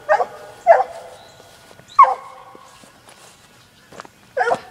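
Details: Young Black and Tan Coonhound, a six-month-old female, trailing a laid coon track, giving four short ringing barks spaced unevenly over a few seconds, each trailing into a brief tonal tail, over a quiet background.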